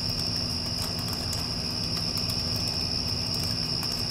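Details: A short stretch of crickets after a storm: one sustained, piercing note with faint flickers, set against the heavy low hum of an air conditioner.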